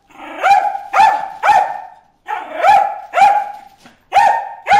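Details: Bruce, a dog, barks at fish in the water hole, firing loud, clipped barks in quick clusters of two or three with brief gaps between groups.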